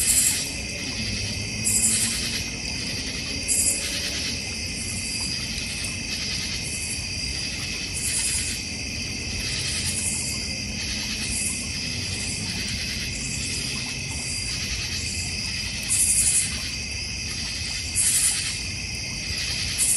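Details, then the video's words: In a North Georgia Mountains backyard with a koi pond, crickets keep up an unbroken high, ringing trill chorus. Sharper rasping pulses recur roughly every two seconds, over a quiet low rumble. "North Georgia Mountain Cricket Sounds"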